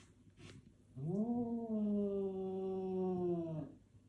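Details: Domestic cat indoors, facing its own reflection in a mirror, giving one long drawn-out low yowling growl lasting about two and a half seconds, steady in pitch with a slight rise at the start and fading at the end.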